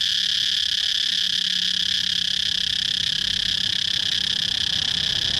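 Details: Continuous high, hissing cicada buzz at an even level throughout, with a faint low hum running underneath.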